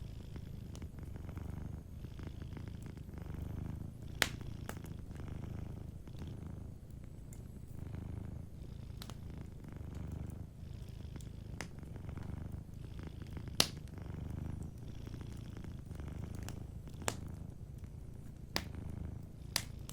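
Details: Soft, even purring from a sleeping cat near a fireplace, the low rhythmic rumble rising and falling with each breath while occasional sharp crackles snap from the burning fire.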